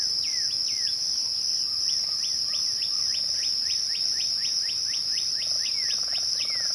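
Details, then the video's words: At twilight, crickets sustain a constant piercing trill. A regular series of quick downward-slurred whistles from another caller repeats several times per second across the whole stretch. "twilight crickets"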